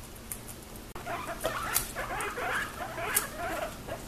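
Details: Three rescued domestic guinea pig brothers, adopted from a foster home in April 2021, stealing food from each other; rapid chirping squeaks rising and falling, packed closely together, over rustling and chewing.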